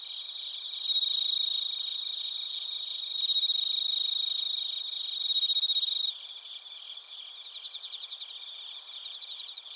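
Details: Crickets and bell crickets from Narita in Japan's Chiba Prefecture, captured with a TASCAM Portacapture X8: loud, close, high trilled chirps in bursts over a steady ringing tone, which stops after six seconds, leaving softer rhythmic pulsed chirps.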